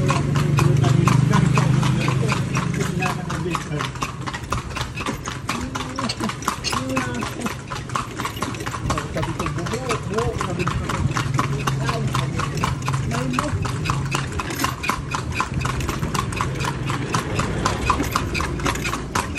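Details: Horse hooves while touring Vigan on horseback: steady rapid clip-clop, about three to four hoof strikes per second throughout, with people chatting and a low engine rumble underneath.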